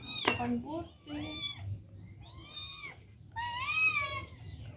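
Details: Cat meowing indoors: a sharp opening sound, then several short rising-falling meows and a longer drawn-out final meow, with faint background hum.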